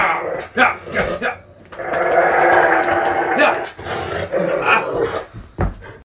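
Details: A Rottweiler gives a low, rumbling, purr-like grumble beside a caracal cat, with a person speaking nearby indoors.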